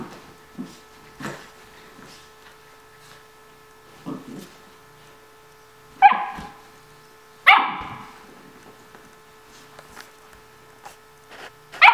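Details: Playful barks from Kaylee, a nine-week-old Vizsla puppy during morning play time at home, scattered irregularly with soft thumps and shuffling between louder yips.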